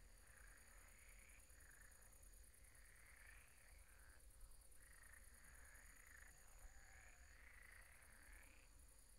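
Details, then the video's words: Pond frogs croaking after dark: dense, rasping croaks in repeated bursts, several rising at the end, blending into a chorus with steady low background noise and a thin high tone. "Relaxing sounds of croaking frogs at the pond"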